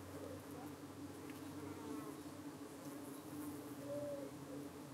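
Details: Honey bees at a UK hive on a hot June evening around 8:15, defending themselves as flies dart in to settle on their abdomens; a steady low droning hum from many bees, with faint higher chirps from birds in the background.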